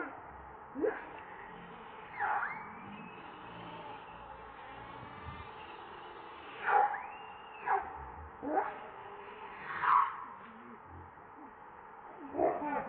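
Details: Baby monkey Leo crying and begging its mother for milk when hungry: thin, high whistled cries, some sliding or held flat, spaced about one to two seconds apart over a faint steady hiss.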